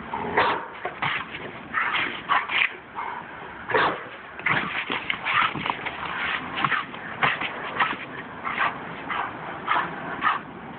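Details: Two-year-old female German Shepherd sounding alarm while a woman gathers and consolidates recyclables nearby; short, sharp barks and yelps come in irregular bursts roughly every half second to second, with thinner whining sounds between them.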